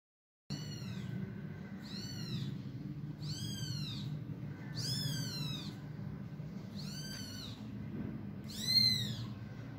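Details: Persian kittens from a time lapse of their growth from day 1 to day 23, giving six high, arched meows about every one and a half seconds over a low steady hum, with a voice speaking just afterwards.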